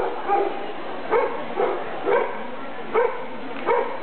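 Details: Clumber Spaniel bitch Little Helen (Shogun's Boop-A-Doop Girl) at a KCHLS club show on 31 May 2009; about six short, harmonic barks spaced roughly every 0.7 seconds over steady indoor hall murmur.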